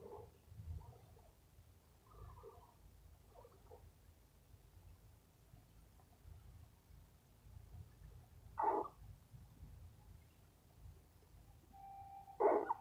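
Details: Tired rescue squirrel, a male being petted before a nap, giving faint, widely spaced squeaks and murmurs, then two sharper brief calls near the end, over quiet low background rumble.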